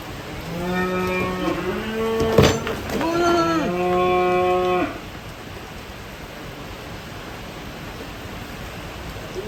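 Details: Cattle jumping down from a truck during unloading as the rain grows heavier. A deep, steady moo lasts about two and a half seconds, then a second wavering moo rises and falls, with a sharp knock between them and soft rain hiss afterwards.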